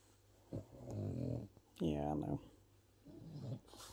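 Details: A French Bulldog makes low, drawn-out grumbling and whining sounds that rise and fall, telling the barking neighbourhood dogs next door to be quiet, with a person's voice between them.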